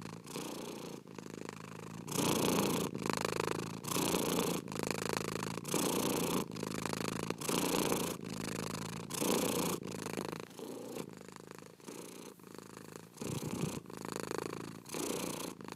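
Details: Domestic cat purring steadily, a low rumbling buzz pulsing in rapid breath cycles roughly every half second to second, slightly softer near the middle, with no other sounds.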